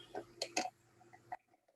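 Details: Captive eagle rays popping, crunching and grinding clams they are fed, with four or five sharp dry pops irregularly spaced over two seconds over a faint steady hum.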